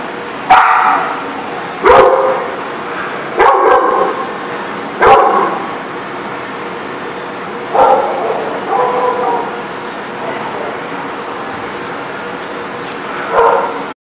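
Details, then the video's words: Dogs at a dog lot, recorded 24 May 2019, give loud single barks and short double barks at irregular intervals, about eight in fourteen seconds, over a steady background hiss. "The Barking Lot"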